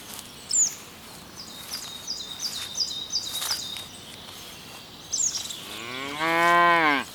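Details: Cow grazing in ripening rice paddies gives one loud, drawn-out moo near the end, harmonic-rich and slightly rising then falling, after several seconds of high, repeated bird chirps over a steady rural background hiss.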